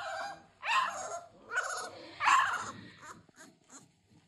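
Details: Three-week-old American Bully puppies from a King Clyde x Dynasty litter, 2022, give three drawn-out, harmonic whining cries about a second apart, each rising then falling, with quieter whimpers trailing off at the end.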